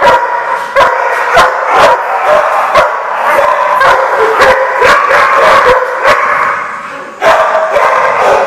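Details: Many dogs barking together, dense overlapping barks roughly every half second, sharp repeated bursts with a few yips, loud and continuous, sounding like a kennel or boarding lot.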